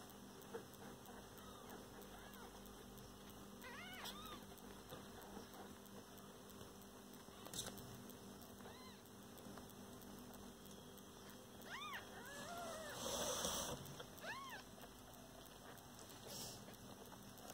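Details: Mother cat with her kittens, shown as caring; a handful of short, thin meows rising and falling in pitch come in scattered bursts, some overlapping, over a steady electrical hum with a brief rustling noise near the end.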